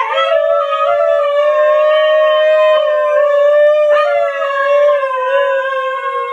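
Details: Siberian Husky howling at home while a scooter is being reversed: one loud, sustained, steady howl with rich harmonics, holding nearly level pitch with slight wavers and a brief break near the fourth second, fading at the end.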